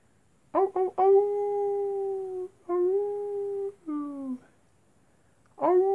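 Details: Night-time wolf howling: short rising yelps lead into a long, steady, smooth howl, then another held tone and a shorter one that falls away, with a fresh yelping onset at the end.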